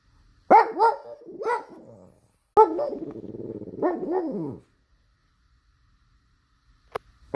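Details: Pug. A pug barks in two long, wavering bursts, each rising and falling in pitch with a whiny, yodel-like quality. A couple of sharp clicks follow after a short silence.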